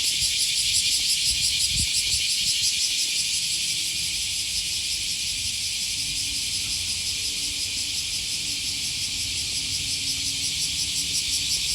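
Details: An August 2020 morning walk beside the Okawa River near Sakuranomiya Park in Osaka, Japan, filled with cicada song: a continuous shrill drone, rapidly pulsed and shimmering early on, with a low background hum and a single thud.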